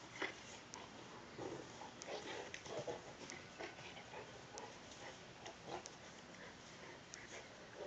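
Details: Two Saint Bernards, Sammi Dean and Belvedere, wrestling together in play; soft grunting, snorting growls come in short irregular bursts throughout, with scattered light clicks and thumps of movement.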